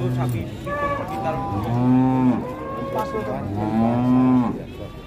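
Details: Two long, full-throated moos from Limousin Belgian cattle, each swelling and holding steady for about a second before dropping away, with fainter lowing from other animals between them.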